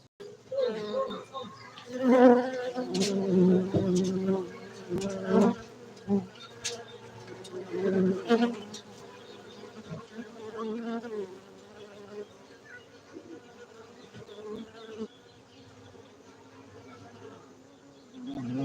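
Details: Cultivated honey bees at a Gayo apiary in Bener Meriah, Aceh, Indonesia, droning in a low humming buzz. The buzz rises loudest over the first eight seconds amid scattered clicks, then settles to a softer, steadier hum.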